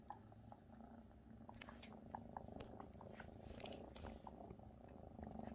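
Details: Maine Coon kittens, nearly half their mother's size, purring while mother Luna cares for and feeds them indoors; steady low rumbling hum with soft clicks and small chewing or licking noises scattered throughout.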